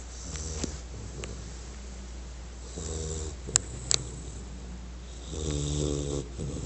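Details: American Bulldog named Diesel asleep and snoring: rough, buzzy low snores in slow bursts near the start, around three seconds and again near five and a half seconds, with a couple of sharp clicks between.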